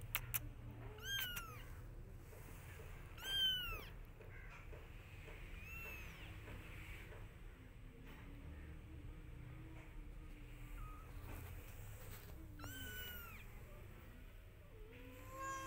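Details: Mother cat meowing for her kittens to follow, while they pay no attention; high, thin rising-falling mews come in bursts, plus a longer low drawn-out meow, over a constant low rumble.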